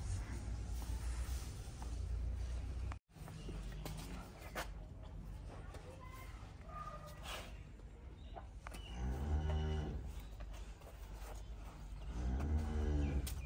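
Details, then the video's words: Cattle calves at play give two drawn-out, harmonic moos near the end, one lasting over a second, the second rising and falling briefly, over a steady low hum with scattered knocks and faint background noise. "Cow babies enjoy krte hoye"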